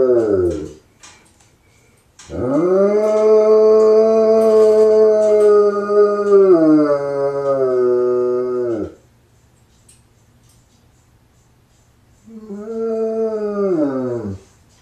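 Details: A Bloodhound, left alone while its owner is gone, gives long, deep, mournful howls that hold steady, then sag and trail off.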